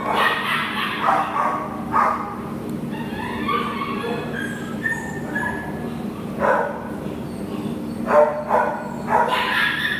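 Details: Adoptable American Pit Bull Terrier Nala, 10/1/2015, barks sharply at the start, then a run of thin tonal whines, then more clipped barks near the end, against a constant low mechanical hum.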